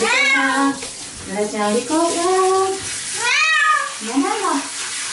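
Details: Cat protesting being bathed under the shower, giving wavering, falling meows mixed with human speech and the steady rush of running water.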